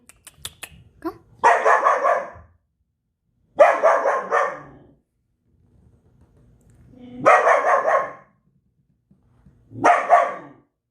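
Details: Belgian Malinois letting out four long, coarse, rasping barks about two to three seconds apart, each lasting close to a second, after a few faint clicks at the start.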